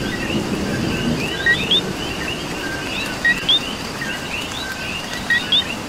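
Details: In Puerto Rican rain, a coqui repeats its two-note call three times, a quick flat tone and a higher rising whistle, set against a thick chorus of distant frogs and soft rain hiss.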